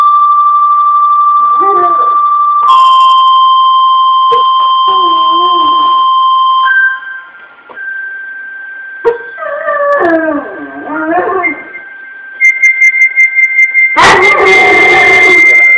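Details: A male Weimaraner howls along to music in short bursts of wobbling, rising and falling tones between long, steady instrumental notes, ending in a loud burst of sound.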